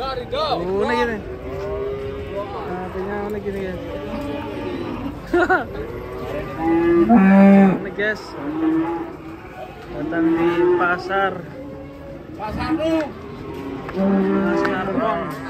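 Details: Cattle coming down from a truck at a market, mooing loudly and often; deep, drawn-out moos overlap from several animals, some long and wavering, others short, with brief gaps between bursts.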